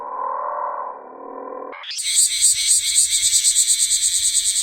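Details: Bear cicada perched on a garden shrub, singing the call known in Kyushu as "washiwashi", played in slow motion: a lower droning tone, then an abrupt jump to a loud, shrill, high buzz throbbing in steady pulses about three times a second.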